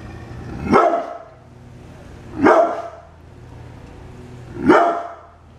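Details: Brindle pit bull kept as a house guard dog, described as sometimes mean but friendly, barking three times: deep, harsh single barks spaced about two seconds apart with a faint background hum.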